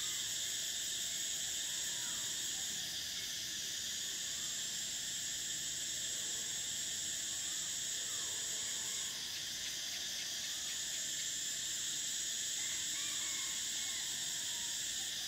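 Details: Cicadas in summer form a continuous piercing buzz whose upper tone cuts out twice and resumes. Scattered faint chirps and whistles from other animals are heard well beneath the drone.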